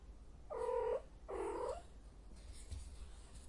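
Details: Cat in heat letting out two loud, harmonic yowls in quick succession, followed by quiet.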